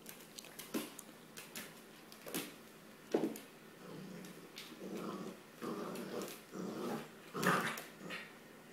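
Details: Corgi playing with a rope toy: soft, low growls in short bursts roughly every second, mixed with sharp knocks and thumps from the play.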